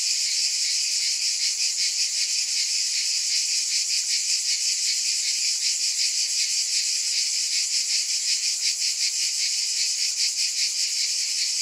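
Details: Continuous high-pitched cicada drone, hissy and metallic, with a quick, uneven flutter in loudness; the insects fill the whole stretch without a gap.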